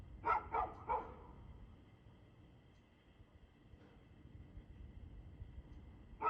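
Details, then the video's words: Evening recording of a dog, 2 June 2024 at 6:02 pm. Three rapid, clear barks open the clip, then near quiet with a faint bark, and one more bark right at the end, over a low hum. "Barking Dog"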